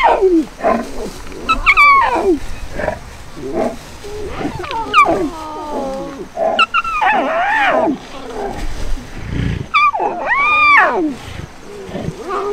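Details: Lion cubs whine and mew in rising, wavering cries as their mother stops nursing them, one extra-thirsty cub begging for milk.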